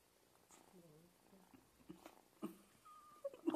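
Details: Stray cats living on the street give soft, short meows that bend up and down, followed by a few louder sharp calls and rustling near the end.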